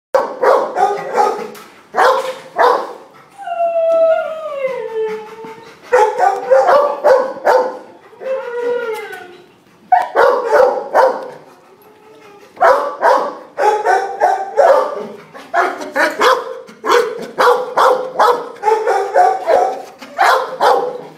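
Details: Male black and white Pit Bull Terrier mix, about four years old, kenneled at a county animal shelter in Martinez: loud bursts of harmonic barking with long, drawn-out falling howls between the bursts, repeated throughout.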